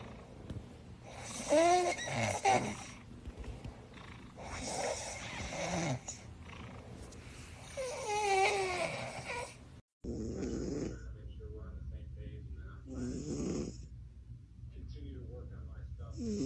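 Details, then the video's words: Sleeping cat snoring: slow, rasping breaths rising and falling in long swells every three seconds or so, some with a whistling, squeaky edge, in a small quiet room, a brief cut near the tenth second. "#cat #snoring"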